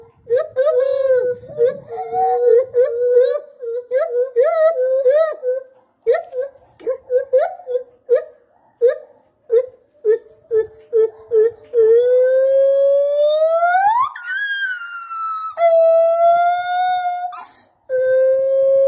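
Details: Gibbon calling: a quick run of short tonal hoots, then long sustained notes that climb steeply into a high rising whoop, followed by steady held tones, with no other clear sounds.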